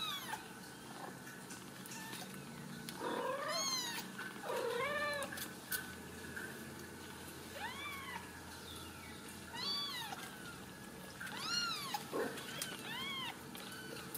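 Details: Ragdoll kittens raised uncaged in a home cattery in central Kansas, mewing in short arched, harmonic-rich calls, several overlapping voices spaced every one to two seconds, with faint background room noise.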